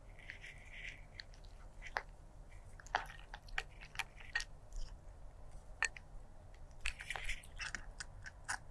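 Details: Stray black cat eating food indoors: sharp, irregular crunches and bites crackle in quick clusters, some bright and close, others softer, over a low steady room hum.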